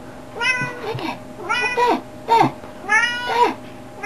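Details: A house cat in a small room gives repeated rising-falling meows, four or five bright, drawn-out cries in about four seconds, with faint human voices behind.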